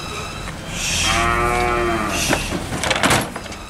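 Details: Cattle moo heard while the animals ride in a vehicle touring from market to market in Indonesia; one long harmonic moo swells and slowly falls over about a second, followed by clattering and knocks.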